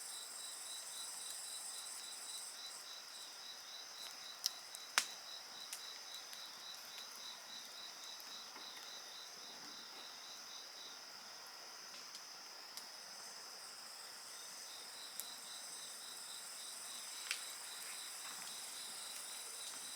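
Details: Insect voices accompany a bonfire: high pulsed chirping carries on for about ten seconds, stops briefly, then resumes over a steady shrill drone, with loud cracks and pops of burning wood now and then.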